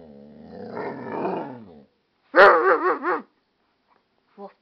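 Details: Wolf, an amstaff and pit bull mix, barks back to its owner. Speech-like murmuring comes first, then a loud rolling burst of wavering, yodelled barks and a faint short yip at the end.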